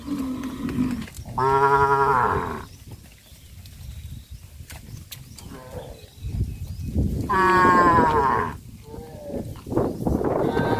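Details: Village farm cows moving as a herd across a rice field; two drawn-out harmonic moos about six seconds apart, with a lower murmur before the first and steady field rustle throughout.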